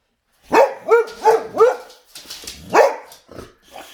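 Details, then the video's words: Boxer dogs barking at a vacuum cleaner indoors: a quick run of four sharp, rising-and-falling barks about a third of a second apart, then a pause and one more loud bark, with fainter yips trailing off. "Boxer Dogs Vs Vacuum Cleaner!"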